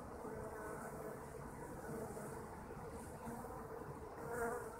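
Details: Domestic honeybee colony humming continuously, a dense, low buzzing drone with a slight swell near the end as a bee passes closer.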